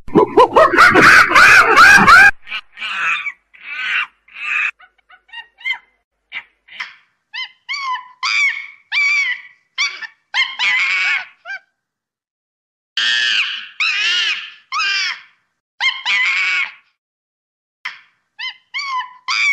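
A monkey gives a rapid series of short, squeaky, whistled chirps that rise and fall in pitch.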